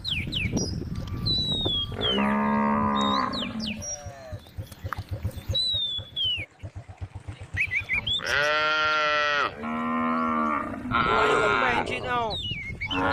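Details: Herd of tame cows with a calf in a grassy field; a female cow moos in long, resonant bellows, one early and then a run of three close together near the end, amid constant bird chirps.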